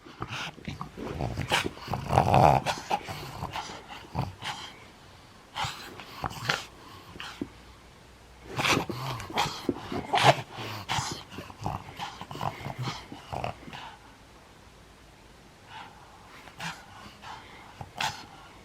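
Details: Nine-year-old pug growling while playing indoors in Japan, recorded January 11, 2020; short rough growls in scattered bursts with quiet gaps, a couple of louder bursts near the start and middle, some light knocks and rustling in a small room.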